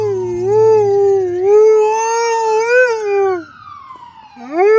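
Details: Suzi, a female Alaskan Malamute, howls in reply to a passing ambulance: long, steady, harmonic howls that swell and waver, then dip and rise again, with the thin rising and falling wail of the siren running faintly behind her voice.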